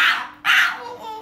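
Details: Puppy protesting dramatically while its nails are trimmed indoors: two loud, strained yelping cries in quick succession, the second trailing off into a softer whine, with a person's brief words just before.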